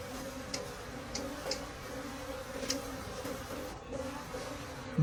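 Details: Wild bees droning softly at a split forest nest as dark honeycomb is cut in late season, an even two-toned hum with faint ticking clicks and a sharp noise at the very end.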